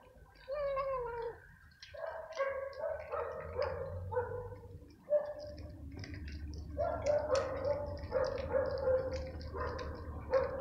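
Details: Stray cats fighting over food during a nightly feeding, where a small hungry gray newcomer is attacked by another cat: drawn-out, wavering yowls and growls come in repeated bursts, with a low rumbling background beneath.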